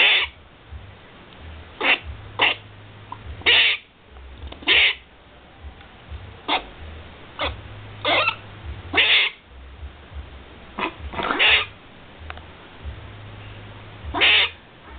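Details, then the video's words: Squirrel giving short, sharp, clicking chips at irregular intervals, sometimes doubled, over a steady low hum. "squrriel making noises"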